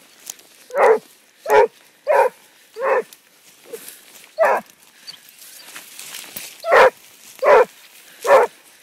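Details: A Basset Hound on a track barks repeatedly, short, deep, resonant bursts with a rough, hoarse edge under a second apart, pausing briefly midway before resuming over faint outdoor background noise.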